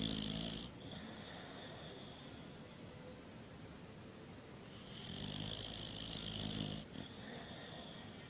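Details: Dog snoring in its sleep, a short rasping breath at the start followed by a longer vibrating snore about five seconds later, low fluttery rattle under airy hiss.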